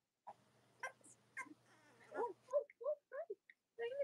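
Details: Cavalier King Charles Spaniel puppies from the litters of Robin and Myra, indoors on a chilly Monday morning near Halloween in the US: soft rustling, then a run of short, tonal whimpers and squeaky cries repeated in quick succession.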